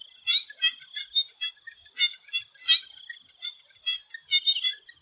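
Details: Swamp frogs calling before sunset in Thailand: a dense chorus of short, pulsed, mid-high croaks tumbling over one another at uneven intervals, with a steady high insect buzz running underneath throughout.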